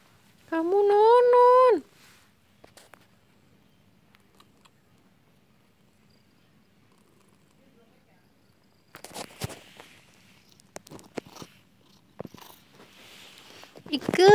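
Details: A grown village kitten that is still nursing gives one loud, drawn-out meow that rises and then holds steady for about a second. Long quiet follows with scattered clicks and rustles, and a second meow begins right at the end.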